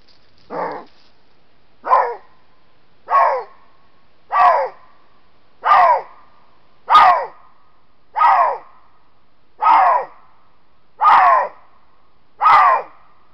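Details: A Eurasian lynx, caught on a camera trap in Estonia while marking, gives about ten hoarse, bark-like calls, each short and slightly falling in pitch, at an even pace about every second and a half against a quiet background.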